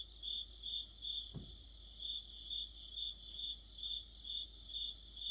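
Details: Autumn cricket chorus beneath a streetlight: high chirps spaced a bit more loosely, about twice a second, with a brief low thump partway through.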